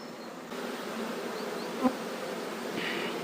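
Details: Honey bees of a relocated swarm already moving into their new box while fresh cover is fetched; a continuous mellow hum of many insects, with one short knock partway through.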